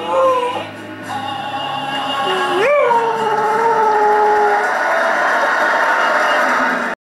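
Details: Dog howling along with Kate Smith's rendition of God Bless America during the NY Yankees' 7th inning stretch, a drawn-out tone that swoops up then holds steady for about two seconds, mixed with the loud orchestral music and singing.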